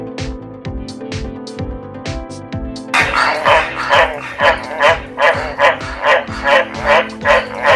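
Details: A White's tree frog, found in Australia and Papua New Guinea, gives a rapid series of hoarse, barking croaks over background music; it calls to attract mates and advertise its location, usually after rain.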